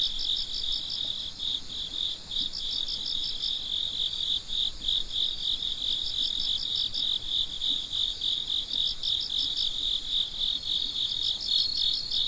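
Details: Night-time chorus of crickets, many overlapping high-pitched trills forming a constant ringing wall, punctuated by short bursts of fast pulses every second or so.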